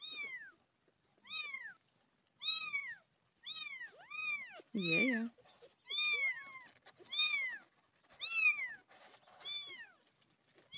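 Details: Abandoned kitten, one of two being fed milk replacement from a syringe, meows loudly and hungrily. High arched meows repeat about once a second, with a lower voiced sound midway.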